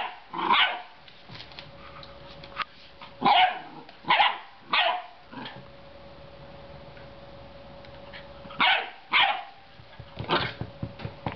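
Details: Young Groenendael (Belgian Shepherd) puppy on his first day in a new home, playing with a toy: sharp yappy barks in small clusters of two or three, separated by long pauses, with faint clicks and taps near the end.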